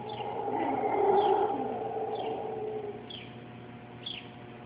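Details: Howler monkeys giving their morning wake-up call from a backyard in Costa Rica: a deep, rough roar swells for about two seconds, then fades, while a bird repeats short descending chirps roughly once a second.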